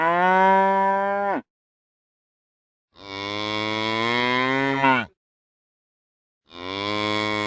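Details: Real cows mooing: three long, rich, steady moos, each lasting one to two seconds, separated by complete silence, the middle one the longest, with a slight roughening at its end.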